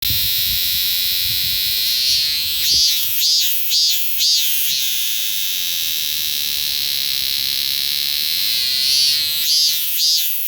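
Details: Robust cicada calling: a loud, high, steady buzzing drone with bursts of rhythmic pulsing notes, about two per second, that fade and then return near the end.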